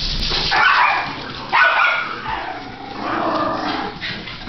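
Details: Two puppies playing in June, giving short rough growling yips in three noisy bursts about a second apart, with scuffling in between.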